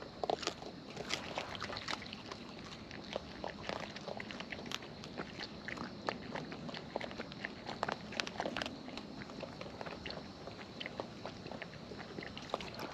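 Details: Raccoons in the wild feeding at close range: a dense, steady run of sharp wet clicks and crackling bites throughout, fairly even in loudness, over a soft constant background hiss.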